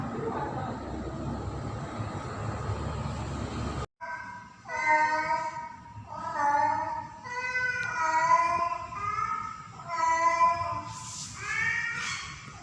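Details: Female domestic cat in heat calling a male in mating season; after several seconds of rumbling background noise, a run of drawn-out harmonic meows follows, repeated about every second, ending with higher-pitched cries.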